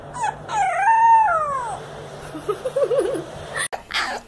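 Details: Puppy learning to howl gives one wavering, harmonic howl that dips and rises before falling away, then faint wobbling whines over steady background hum and a sharp noise at the end.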